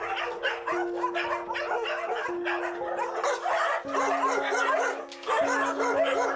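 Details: Many caged dogs at a farm holding hundreds of dogs, where thin mother dogs nurse puppies, bark and yelp in a dense, overlapping chorus throughout, with steady background music tones underneath.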